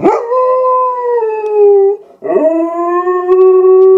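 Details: German Shepherd kept as a pet, howling as animals appear on the television screen. Two long, loud sustained howls, each starting with a quick rising scoop then holding a steady, slightly falling pitch, split by a brief breath.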